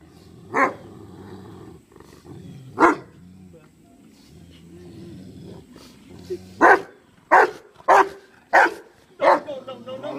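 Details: Dog Kano tries to rouse his dead companion BJ at the graveside. Two isolated barks come through under people talking, then a quicker run of five barks.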